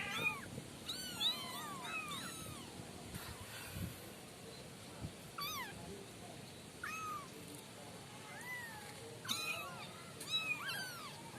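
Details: Five kittens from one litter, still unnamed, calling almost continuously with high, thin, arching meows, often several overlapping, in bursts roughly once a second, against faint room noise.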